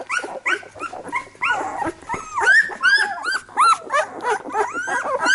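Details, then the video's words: Labrador Retriever puppies whining and squealing, irregular bursts of high rising and falling cries from several pups at once, some thin drawn-out squeaks, a low electrical hum underneath. "Labrador Retriever Welpen"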